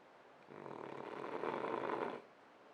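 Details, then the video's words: A sleeping French Bulldog gives one long, rasping snore that swells and fades over about two seconds. "Snoring French bulldog"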